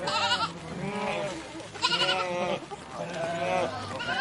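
Several sheep bleat in turn, with wavering, nasal 'baa' calls that overlap as a flock.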